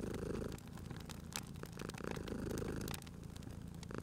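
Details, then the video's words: A cozy fireside scene: a sleeping cat keeps up a soft, low purr that surges and fades with its breathing, while fire crackles and occasional sharp pops sound over it. "Cute Purring Cat at a Crackling Fireplace"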